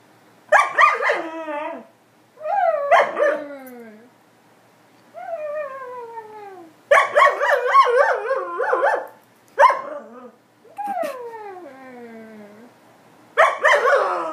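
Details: An Alaskan Malamute, chatting as if in conversation with its owners, talks in drawn-out, wavering woo-woo howls that slide downward, broken by sharper yelps, growing fairly loud.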